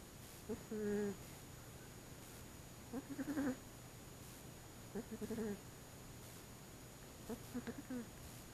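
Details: Thunderclese, a 25-pound fat domestic cat, snoring loudly while asleep during the day indoors, filmed on an Apeman A66 action camera; squeaky, nasal, tonal snores return roughly every two seconds over a low steady room hum.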